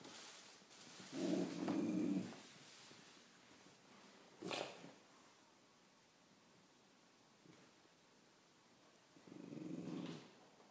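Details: Cocker spaniel growling at a spider: two low, rumbling growls about a second long, one near the start and one near the end, separated by quiet and a single brief noise.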